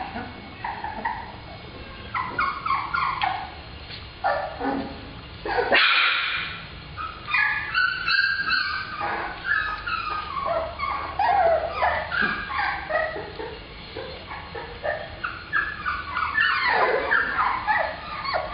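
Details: Black Labrador Retriever puppies, female, heard together as a litter: a dense, overlapping chorus of high whining whimpers and short yips. The calls have rising and falling pitch and come several per second, with no other clear sounds.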